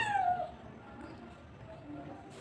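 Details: One of two look-alike cats that turned up together, hungry and being fed; a single loud drawn-out falling meow at the start, then quiet background.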